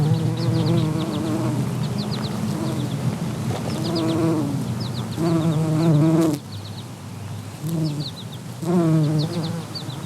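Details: A two-spotted bumblebee (Bombus bimaculatus) in flight drones with a low, deep buzz that swells and fades as it moves; the buzz sounds deeper than a honeybee's.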